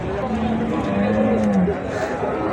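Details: Bull or cow at Ambari Haat, a twice-weekly cattle market with bulls and meat cows for sale; one deep moo swells and then slides downward, with men bargaining and market chatter close by.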